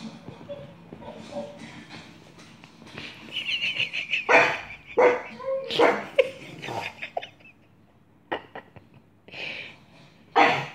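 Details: Grimley, a household dog, barks while Coco watches TV: scattered harsh barks, some doubled, come after a stretch of a person talking and small whimpery sounds, with a final loud bark near the end.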